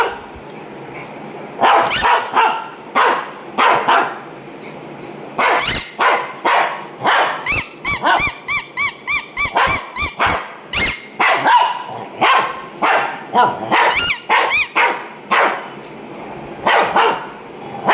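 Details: A Shih Tzu barks persistently, firing off dozens of short, sharp barks, sometimes singly and sometimes in rapid bursts of several, with a few brief pauses between volleys across eighteen seconds.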